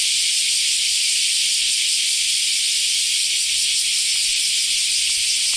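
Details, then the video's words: Cicadas, called semi in Japanese, singing in summer in Japan after the rainy season has ended: a dense, steady, high-pitched hiss with no breaks, filling the air evenly throughout. "sound of summer in japan semi insects"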